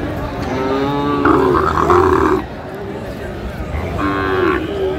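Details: Sahiwal bull calves being sold at a Dhaka market on 15 February 2025; a sustained, harmonic bellow about a second long is followed by a shorter moo near the end, with buyers and sellers talking throughout.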